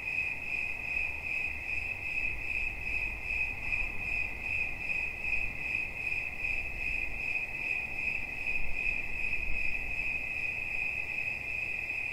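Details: Single cricket trilling steadily, a bright high pulsing tone repeated quickly and evenly over a quiet low background hum.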